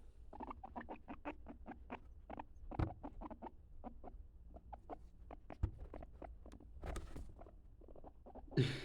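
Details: A usually very calm male capybara, alone in his enclosure, makes soft noises: a long, steady run of short, dry clicking pulses, about three to four per second, over a low background rumble with a few louder knocks.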